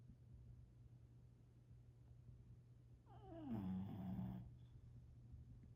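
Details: A bulldog snores once, a single rough, rumbling breath lasting about a second, after several seconds of quiet low breathing.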